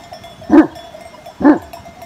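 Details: Sivas Kangal shepherd dogs guarding a flock on a Turkish farm; two deep, loud single barks about one second apart, each short and booming, with faint background hiss.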